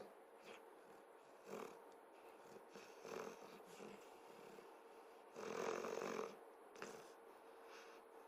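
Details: Moose, a 5½-month-old Saint Berdoodle puppy, snoring while asleep on a bed he is not allowed on; soft, breathy, noisy snores come in irregular bursts, with a longer, louder rasping snore near the end.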